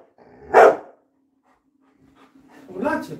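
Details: Coco the Labrador Retriever gives one sharp, loud bark, followed by a quiet pause and then a person speaking in Bengali.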